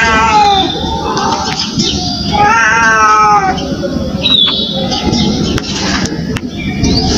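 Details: Indian street cat crying: a few short harmonic meows, one wavering in the middle, separated by noisy pauses with faint clicks and background hum.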